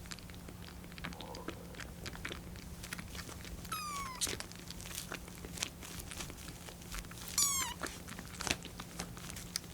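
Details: Rescued kitten Lucy, on her 25th day in care, meows indoors while waiting for her milk to cool. Two wavering, harmonic-rich meows with a vibrato-like, bird-like quality, about three seconds apart, among soft clicks and rustling in a small room.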